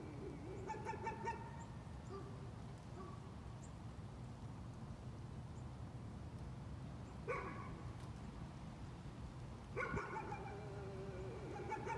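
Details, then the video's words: Nuisance barking from a dog, with a few sharp barks early, a lone bark around the middle and a closing cluster of clipped, ringing barks, all set against constant low-pitched background hum. "Nuisance barking again."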